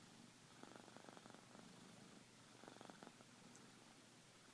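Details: A kitty asleep and snoring, giving two brief rattling bursts of breath, each under a second long, separated by a quiet pause over low background hiss.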